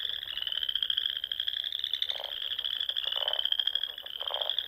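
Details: Frogs chorusing in spring at dusk around small lakes and ponds in the Sandhills dunes of Nebraska: a dense, continuous high trilled drone, with lower pulsed croaks bursting in near two, three and four seconds.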